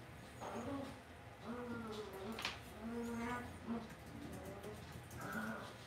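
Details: Cavalier puppies in an indoor home pen give soft, continuous whines and moaning grunts, several voices overlapping, each call a short wavering tone sliding up or down, with a faint tap and room murmur behind.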